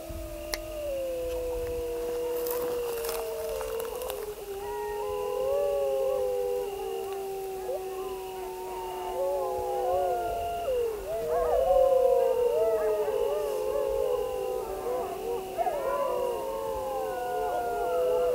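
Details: Grey wolves howling in chorus, several overlapping long sustained tones, some steady and low, others sliding and wavering higher, blending into a continuous layered howl over a steady background hum.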